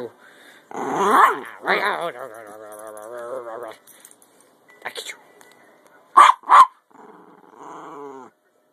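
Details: Topper, a 10 lb Jack Russell Terrier, howls while playing the "get you game" with his owner: long, wavering, drawn-out tones, then short sharp yips, as a woman's voice repeats "I get you" playfully.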